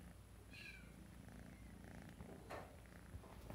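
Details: Sable classic tabby tuxedo RagaMuffin boy kitten purring: a continuous low rumble fills the clip, joined early by a brief high squeaky meow and later by a soft rustle.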